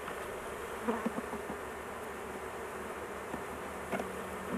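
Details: Continuous low buzzing of a honey bee colony as a beekeeper works a large hive, the queen held in a cage for protection; soft knocks and taps sound over the even drone.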